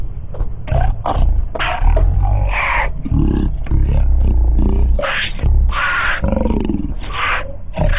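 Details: Two lions eating a cheetah, feeding growls: deep rumbling growls underlie repeated harsh, broadband snarls and hisses that burst out every second or so over eight seconds.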